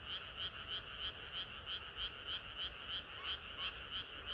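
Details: Hot summer night with frogs in song, crisp rhythmic croaks repeated roughly three times per second, each a short two-pitched buzzy pulse over a quiet background hiss.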